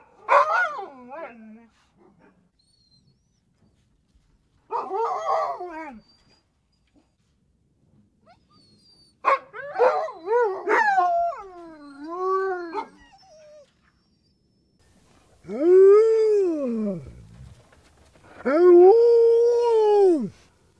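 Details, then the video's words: Siberian Husky, a working sled dog breed, produces warbling talkative whines followed by two long arching howls that rise then fall smoothly, each lasting about two seconds, with pauses between phrases. "Husky Sound (Dog Sounds)"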